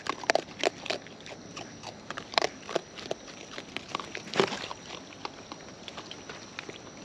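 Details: Eating raccoons in the wild, heard close: separate sharp crunches and crackling bites spaced unevenly, a strong crunch near the middle, then softer chewing trailing off.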